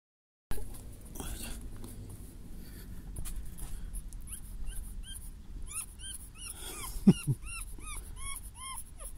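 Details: Puppy whimpering indoors: a run of short, high, arched whines repeated about twice a second in the second half, after a quieter stretch of rustling and low background noise.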